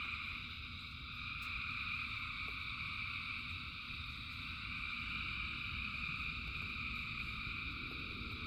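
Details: Thousands of frogs singing together in rain, a dense continuous chorus of overlapping high trilling bands with no single caller standing out, over steady low rumbling rain noise and scattered faint drops.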